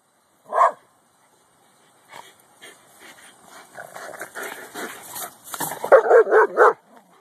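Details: A Boston Terrier watching the neighbors, where a Corgi she hates lives, lets out a single sharp bark, then goes quiet. A string of high, quick yips and whimpers follows, growing louder and more insistent.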